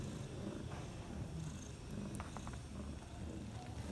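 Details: Bella, a mother cat with her four newborn kittens, three males and one female, six hours after birth; a low, steady rumbling purr fills the clip with faint clicks and rustles above it.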